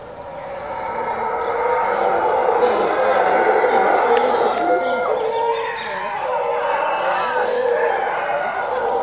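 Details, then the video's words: Morning roaring of a howler monkey troop living in jungle beside a road near Zancudo, Costa Rica, about 5:30 am; layered droning howls build and stay loud throughout, with faint higher bird notes. "Howler Monkeys (my neighbors) waking me up"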